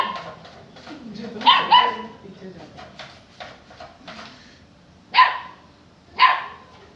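A Saint Bernard puppy gives a few short, sharp, high-pitched barks, with a faint human voice behind.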